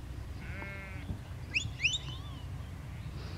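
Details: Sheep or lamb in a field being worked by a border collie sheepdog; one short, nasal, quavering bleat, followed by a few quick, high bird chirps over steady low wind rumble.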